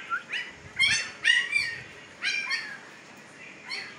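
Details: Young Siberian Husky pups, fifteen days old and just opening their eyes, in Pakistan: a quick run of shrill, harmonic-rich squeals and yelps, several overlapping, tumbling out close together before easing into one last faint squeak.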